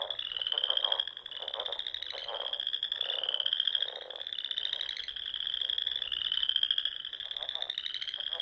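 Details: Evening frog chorus in the Nebraska Sandhills in spring, among dunes and ponds; repeated rising trills, each about a second long, follow one another almost without pause over quieter, throbbing lower calls.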